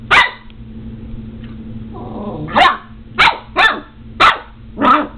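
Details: Seven-week-old Border Collie puppy named Omega barking while fighting a doorstop: sharp, bright barks, one near the start, then five more from under three seconds on at roughly half-second spacing, with a low growl between them.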